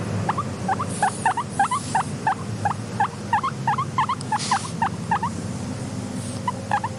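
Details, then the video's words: Guinea pig kept as a content pet, giving a near-continuous run of short rising squeaky wheeks, several per second, against a low background hum and occasional soft rustles. "Are Your Guinea Pigs Making These Sounds?"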